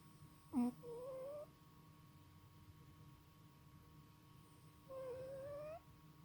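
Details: A sleeping male cat snores with an odd sound: two thin, whistling nasal tones, each rising slightly over under a second, about four seconds apart. The room is otherwise quiet, with a faint click at the start.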